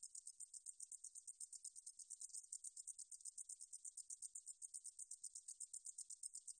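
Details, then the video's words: Meadow katydid 등줄어리쌕쌔기, a 2020 National Institute of Biological Resources recording, producing a shrill, hissing pulse train. Each brief buzzy burst follows the last about six times a second in an unbroken, even series. "등줄어리쌕쌔기, 여러번 듣기, 곤충소리"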